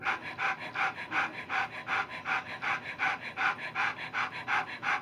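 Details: Nine Alaskan Noble Companion Dog puppies, six boys and three girls in agouti and liver colours, early in life, some asleep. A fast, very regular run of breathy pants repeats roughly three times a second throughout.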